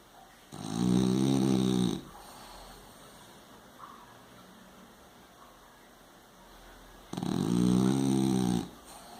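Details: French Bulldog snoring: two loud, rasping, harmonic snores about one and a half seconds long, spaced some six seconds apart, with quiet breathing in between.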